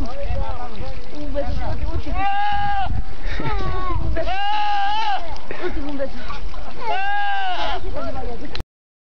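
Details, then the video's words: Goats give three drawn-out, quavering bleats with bright harmonic stacks, interspersed with quieter rough calls and a steady low rumble; the recording cuts off abruptly at the end. "Stupid Goats Making Stupid Noises"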